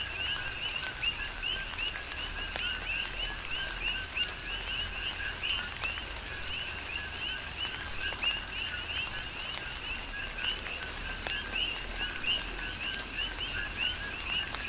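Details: Coqui frogs serenading in steady tropical rain on the Big Island of Hawaii, a continuous chorus of repeated rising chirps from many frogs mixed with the patter of raindrops.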